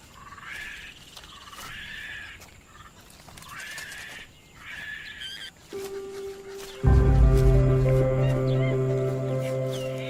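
Vervet monkeys give sharp, rising, scream-like alarm calls in quick bursts before music swells in.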